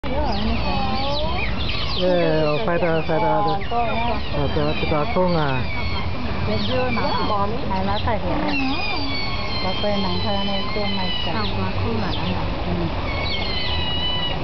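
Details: Captive Asian small-clawed otters at Singapore Zoo, one of them performing: a continuous stream of overlapping squeaky chirps that rise and fall in pitch, busy and unbroken throughout.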